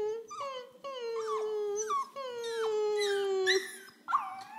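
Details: Eleven-week-old female Pembroke Welsh Corgi puppy howling indoors, mimicking her owner's whining and howling: a series of sustained, slightly falling tonal howls with squeaky upward breaks, ending in a sharp yelp.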